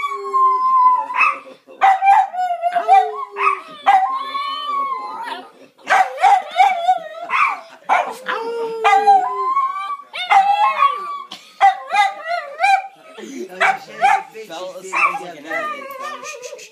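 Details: Several pet dogs howling together indoors, drawn-out wavering tones sliding up and down, overlapping voices with occasional short yips and barks between the long howls.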